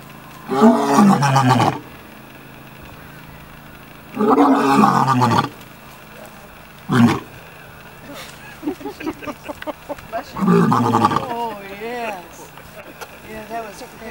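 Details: Deep, hoarse roars from a captive lion at a big cat rescue in Tampa, Florida, about three feet away. Four loud bursts come roughly every three seconds, with shorter grunting pulses between them and a low steady background hum.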